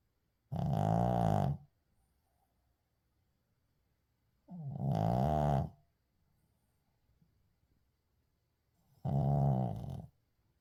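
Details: Sleeping Shih Tzu Uijung gives three rough, rumbling snores roughly every four seconds, each about a second long, with soft breathing noises in the quiet room between them.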